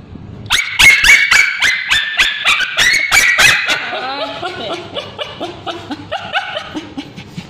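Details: A male Bichon Frise dog, treated for scabies, screams as ointment is put on his tail: rapid, loud, high-pitched yelps about four per second, fading into softer wavering whines.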